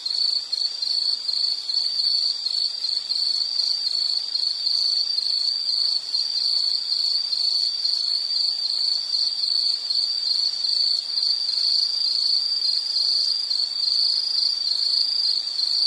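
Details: Insects in a nature soundscape, a steady high-pitched chirring band that holds unbroken through the whole stretch, with fainter higher overtones and no other clear sounds.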